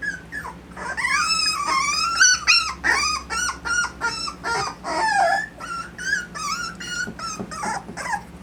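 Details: A litter of Miniature Dapple Dachshund puppies in Austin, Colorado keeps up a dense chorus of thin, bending whines and squeaky yelps, several pups crying at once in quick uneven bursts, over a faint low background hum.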